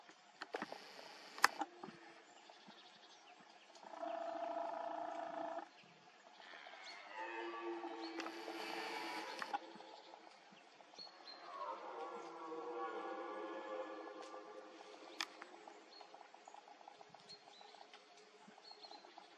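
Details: During the 2024 rut, two red deer stags give deep, drawn-out rutting roars, each bellow rough and falling in pitch.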